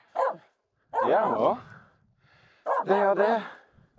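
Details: Female Finnish Spitz Aamu reacting to two reindeer near a snowy climb on Mulen; a short bark followed by two drawn-out, wavering yelping barks with quiet gaps between.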